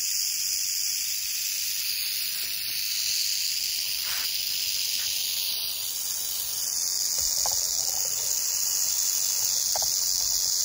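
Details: A canebrake rattlesnake on a North American dirt road keeps up a continuous shaking buzz with its rattle, its pitch and intensity shifting slightly, and a few faint clicks or taps in the background.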